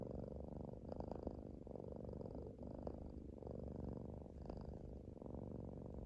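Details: Cat breathing: a quiet, steady, rough rumbling with soft rhythmic puffs, purr-like in texture, continuous and low.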